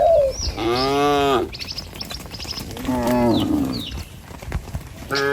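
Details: Cattle herded along a village road past green trees and rice fields, lowing in two drawn-out harmonic moos with a short rising call at the start; birds chirp faintly in the background.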